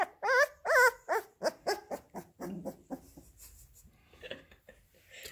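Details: Labrador Retriever puppies eating minced beef indoors: loud quavering whines opening a series of yelps that shorten and quieten over a few seconds, leaving faint rustling and smacking sounds.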